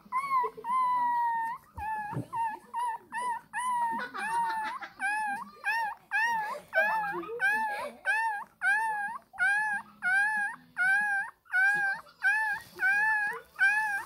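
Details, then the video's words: A 20-day-old Shih Tzu puppy cries in high, squealing whines, repeated over and over to demand milk. "시츄일기6(화난 강아지 뿌꾸)"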